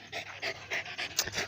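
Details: Dog meeting its owner after a long time apart: rapid, breathy panting, about six quick huffs in a second and a half, with a steady low hum in the background.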